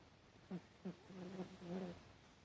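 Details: Sleeping Chihuahua named Hatch snoring, recorded 12 September 2018: soft low nasal snorts at half and one second, then longer humming drawn-out breaths near the end, quiet room background.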